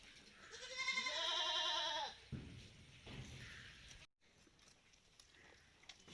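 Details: Farm Malabari goat out in the open utters one long, drawn-out bleat with a shaky, vibrating tone, then handling noises, a brief dropout and low background rumble.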